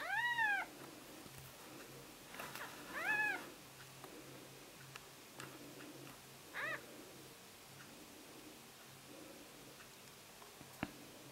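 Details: Several newborn Siamese kittens, born September 14th, giving repeated high, arched mews, some clear and some fainter, spaced irregularly over eleven seconds, with soft rustles, a click and a low background hum indoors.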